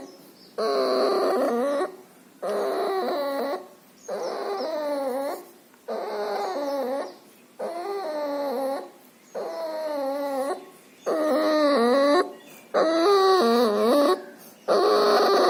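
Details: Noisy breathing from a puppy suffering pneumonia and distemper, with nasal discharge. Whimper-like, wavering tonal wheezes come in regular bursts about every two seconds, divided by brief silent pauses, eight or nine in a row.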